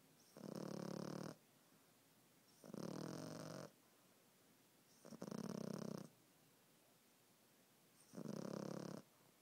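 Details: Pet dog Gigi in deep sleep, giving four harsh, buzzy snores spaced about two and a half seconds apart, each a steady rumbling breath, quiet room between them.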